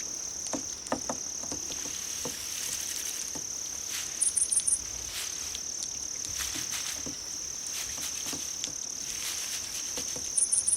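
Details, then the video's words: Insect chorus presented as crickets to lure cats: a constant high whining trill with two quick bursts of pulsed chirps, one mid-way and one at the close, plus intermittent light tapping. "풀벌레 울음소리"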